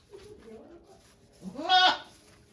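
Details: At Yoshigake goat farm in Japan on 3 May 2023, Okayu gives birth to two kids; soft low murmuring, then one loud rising-and-falling harmonic bleat lasting about half a second.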